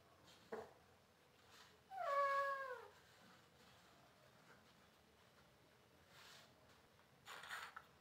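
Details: Kittens at play with bangles: one clear, drawn-out meow lasting about a second, starting higher and falling away, with brief knocks or jingles before it and a rustling burst near the end.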